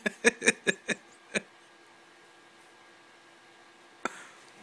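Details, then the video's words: Shinai, a dachshund, upset after a bath and knocking pillows off a bed indoors: a rapid run of six short, sharp yelping cries within about a second and a half, then quiet and one last brief sound near the end. "Shinai the dachshund unhappy after a bath"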